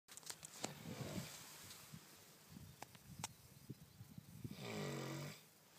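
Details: Shelly, a dog asleep in the sunshine, snoring: a rough, low, rasping snore near the end, an earlier fainter breath, with scattered sharp clicks and taps outdoors.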